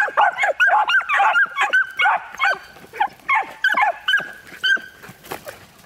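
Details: Training session for hunting with three one-year-old miniature wire-haired dachshunds stimulated to bark: quick, high-pitched barks in an irregular stream that thins out and grows fainter toward the end.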